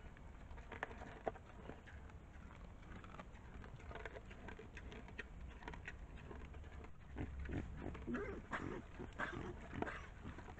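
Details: A trail camera on 21 September 2024 records wild boar giving low, rough grunts and snuffles in irregular bursts, growing busier and louder toward the end, over steady rustling.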